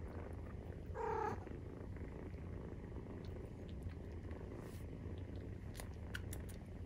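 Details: Maine Coon kittens aged 43 days nursing, purring in a low continuous rumble; a short, tonal mew breaks in near the first second, then the steady purr resumes with scattered clicks.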